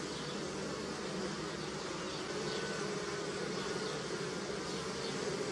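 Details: Bees gathering nectar at flowering willow, early spring, Europe: a continuous low droning hum from many insects, even in loudness, with a faint wavering tone drifting through the middle.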